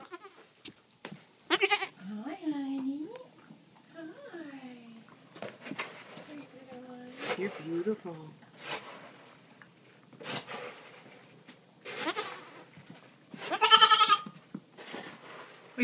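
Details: Two just-rescued baby goats, a black La Mancha and a sable Nubian, exploring puppy and kitten gear indoors. Wavering, quavering bleats come between a woman's loud, close talk about their bottles. Sharp knocks and rustling are also heard.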